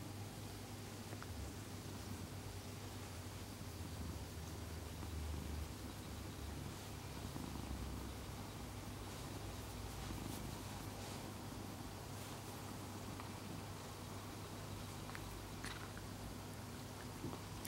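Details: Elderly orange tabby cat, rescued when emaciated, purring indoors as a low, steady rumble that continues throughout, with faint rustling in the background.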